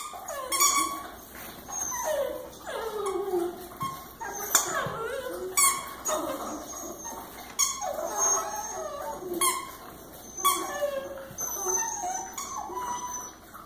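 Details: Francis, a Boxer Mastiff, gets excited after learning to squeak his own toy: high whimpering whines that slide up and down, mixed with sharp squeaks and clatter.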